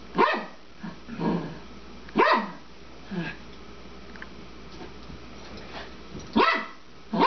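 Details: A 12-year-old female Papillon barks while playing with her bone, throwing it and chasing after it. Sharp single barks come in irregular bursts with pauses between them, and a person speaks nearby.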